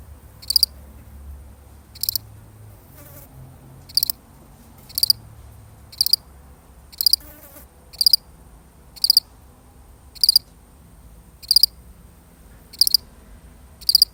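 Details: Solitary cricket calling in a real recording, a long even series of about twelve high, pulsed chirps roughly one per second, with faint low rumble and brief soft noises between.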